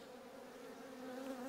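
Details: Honey bees overwintering in the upper brood box of a GS hive while the lower box stands empty: a steady, low, continuous hum with clear overtones, swelling slightly louder toward the end, with no other sounds.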